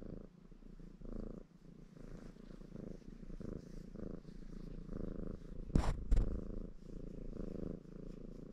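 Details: {'caption': 'Contented ginger Maine Coon tom named Baron purring as he grooms himself; low rhythmic rumbling in short breath cycles, broken near the middle by a sharp brief knock or rustle.'}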